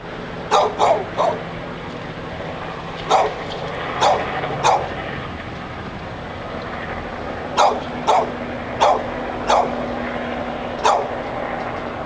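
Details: Dog barking nonstop in front of Barnes and Noble in Pleasant Hill, California, refusing to be quiet: sharp barks in clusters of two or three separated by pauses, over steady low traffic hum.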